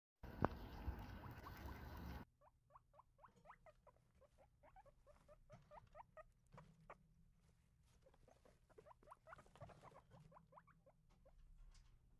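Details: Guinea pigs fighting over food at breakfast. A loud two-second burst of broadband noise opens, then quiet, rapid, irregular short squeaks and chatter follow, about two per second, over a faint low background rumble.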